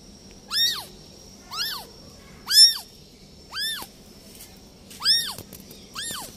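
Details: A newborn kitten left by its mother cat gives high, thin meows that rise and fall, repeated about once a second.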